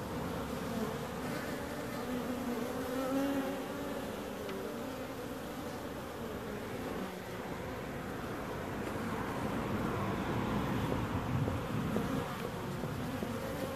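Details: Bees humming in a long, steady buzz, a low continuous drone that swells gently in the second half without any pause.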